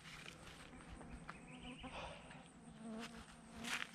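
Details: Swarm of flies surrounding a cyclist crossing a hot mountainous area in Togo, buzzing steadily around him with a low hum amid wind and rustling, with brief human sounds near the end.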